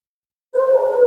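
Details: Siberian Husky, a female in for her second-ever grooming, gives a sudden steady, tonal howl of about half a second, strong and sustained with no other sound.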